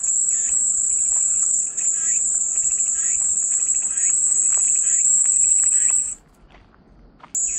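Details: Calming white-noise cicada sound: an unbroken high, hissing drone for six seconds over faint, irregular lower chirps. It cuts out into near silence for about a second, then the shrill buzz returns.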